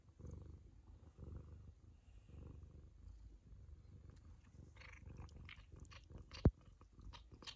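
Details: Indoor Ragamuffin cat licking its owner's daughter: soft low purring that swells in pulses about once a second, joined near the end by sharper licking and mouth clicks and one sudden tap.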